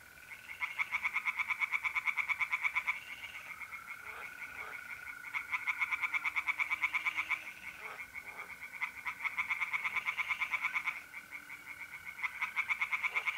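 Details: Pond tree frogs singing at night in mid-April, North-East Italy. Several long bouts of fast, rattling pulses, about three per second, break off and restart, layered over the constant trill of mole crickets.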